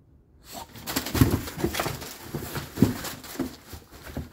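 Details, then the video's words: Bulldog puppy fussing through a teething tantrum, producing deep grunting growls and huffs in uneven bursts roughly every second, recorded close up indoors. "Baby Bulldog Throws Teething Tantrum!"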